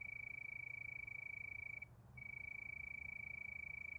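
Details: Night-time cricket chorus under the moon: a shrill, steady pulsing trill at one high pitch that cuts out for a moment near two seconds, then resumes just as evenly over faint low background hum.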